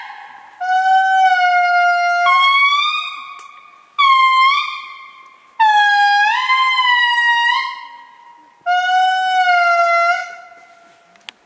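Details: Wild indri lemurs at Andasibe, Madagascar, giving long, horn-like wailing calls: sustained tones that step and slide upward, repeated in five drawn-out bursts with brief silences between, no other sounds evident.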